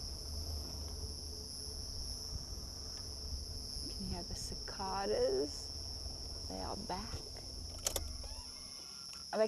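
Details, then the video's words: Cicadas back at a burn site in the Lowveld of South Africa during a sunset drive on 16 October 2024. Their steady, unbroken high shrill runs throughout, while a man talks briefly midway and a few sharp clicks sound near the end. "You can hear the cicadas. They are back."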